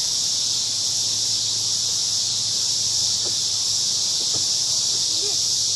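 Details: Crickets singing together in a big cottonwood tree at a park on an evening, forming a dense, unbroken high shimmering buzz that holds steady throughout, with a few faint low knocks in the background.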